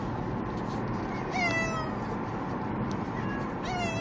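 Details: Two pet cats are carried by car to a veterinary visit for rabies shots. Two plaintive, downward-sliding meows about two and a half seconds apart sound over continuous road and engine rumble.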